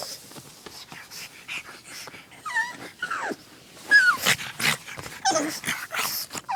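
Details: A domestic dog eager to play with its favorite chew toy whimpers in brief wavering high-pitched whines, interspersed with sharp clicks, taps and rustles close by.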